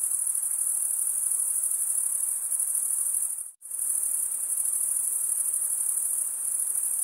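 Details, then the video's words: Stridulating crickets keep up a dense, high, ringing trill that cuts out abruptly for a split second midway, then resumes at the same even level. "cricket sound"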